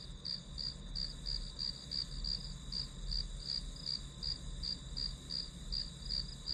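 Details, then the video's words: Grass insects give crisp, high chirps in a regular train of nearly three a second, with a continuous high drone beside them and a muffled low background hum. "풀벌레 소리"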